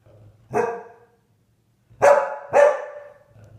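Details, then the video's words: Annoyed Siberian Husky, pestered by English springer spaniels, howling: three short, harsh, yowling barks, each sliding downward in pitch. "Annoyed Husky Howling"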